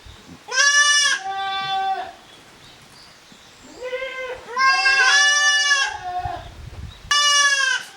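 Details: Young goats at a handmade farm in Japan, kids of Koharu and Okayu playing as two teams in the exercise yard, June 2023: three loud, harmonic bleats, each one to two seconds long, the middle one wavering and drawn out.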